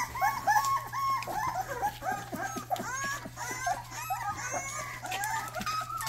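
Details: A Rottweiler puppy barking for the first time: evenly spaced, squeaky, arched yaps rising then falling in pitch, some with sharp onsets, continuing steadily against a faint low hum.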